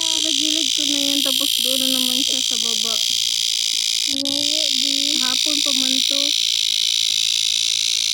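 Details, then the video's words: Cicadas in summer, a loud, continuous, high-pitched buzzing drone filling the whole recording, with a person's voice talking over it during the first six seconds before the drone continues alone. "the familiar sound of summer"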